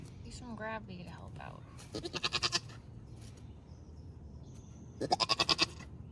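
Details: Nigerian Dwarf dairy goat doe Maggie in labour, kidding twins for the first time on a Northern California farm; two loud, quavering, pulsed bleats about three seconds apart, with a person talking briefly at the start.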